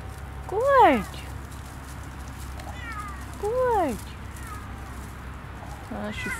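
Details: Siamese cat off-leash on a cold winter forest walk at sunset, near a frozen puddle, gives two clear rising-then-falling meows about three seconds apart, with a person speaking softly and a low background rumble.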